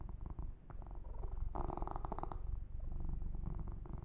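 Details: Yumak, a kitten, purring steadily while being massaged and groomed indoors; a low continuous rumbling purr with faint rhythmic pulses, overlaid by soft brushing and rubbing sounds of hands on fur.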